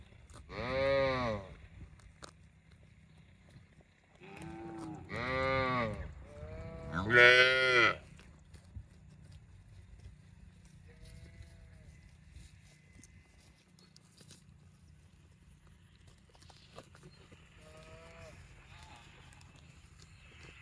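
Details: ['A cow moos three times in fairly quick succession; each call is loud, deep and wavering, and the third is the strongest. Fainter, higher moos follow later, with a quiet background hum.']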